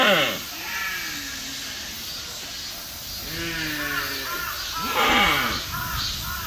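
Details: Deer. A deer calls repeatedly with harsh, nasal bleats, each sliding down in pitch and some overlapping. The calls come in bursts a second or two apart against a steady outdoor hiss.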